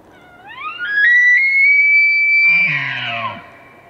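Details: A bull elk bugles during the rut, a whistle sweeping up to a long high note, then breaking into low grunts.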